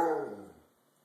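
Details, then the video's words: Thunder, a Siberian Husky known as a talkative dog, vocalizing after bath time: a single short harmonic howl-like yowl that starts strong and fades over about half a second in a small room. "Talking with Thunder (Cry Baby Husky)"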